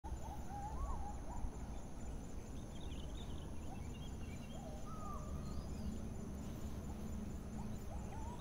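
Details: A distant adult agile gibbon (Hylobates agilis), resting in a rubber tree in a village plantation in Baling, Sekernen, Muaro Jambi, Indonesia, gives rising, swooping whoops over a steady low rumble.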